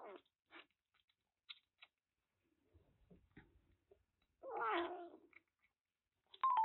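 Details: Lost kiji-white kitten about one month old, rescued in Kagoshima after its loud crying was heard; sparse clicks and soft sounds, then a loud wavering meow near the fifth second and a rising cry at the end, indoors.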